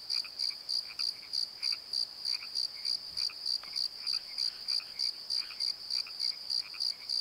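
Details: Valley-bottom crickets at night near Pozo chirp high and steady, about three beats per second, over frequent lower croaking frog calls and a faint brief low thump.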